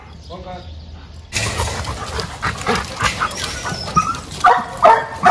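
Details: Dog at a training school and dog hostel in Jodhpur, India, recorded 9/11/22 during behaviour training; after a quiet spoken start, loud harsh barks break in and repeat irregularly, with people's voices over them.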